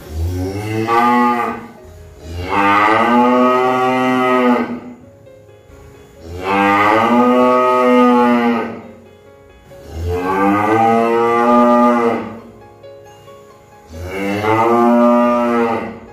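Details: Cow mooing: five long, loud, drawn-out moos, each lasting about two seconds with rich harmonic tone, separated by short quiet gaps, the pitch rising slightly then falling toward the end of each call.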